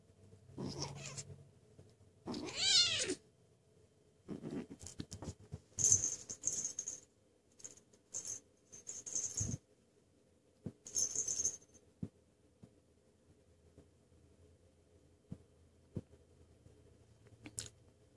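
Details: Two Turkish Van cats, rescued from the streets three weeks earlier and adopted into a home: a low murmur, then one loud, drawn-out meow falling in pitch, followed by bursts of hissy rustling and scattered taps indoors.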